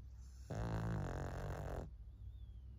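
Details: Maria, a 14-year-old female fawn pug in Japan, filmed on 26 May 2024, gives one long, deep, rumbling snore of just over a second, rich in low buzzing tones, in an otherwise quiet room.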